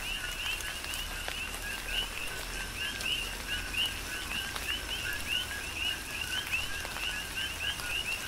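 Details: Rhythmic chorus of coqui frogs in a tropical rain shower, Big Island, Hawaii: many overlapping two-part chirps, a lower note followed by a higher one, repeated rapidly throughout against constant rain patter.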